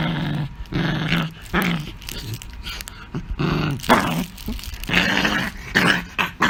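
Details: Indoor pet Beagle, angry, giving short bursts of growling and grumbling snarls, each about half a second long, repeated roughly every half to one second, some rising into harsher, breathy whines.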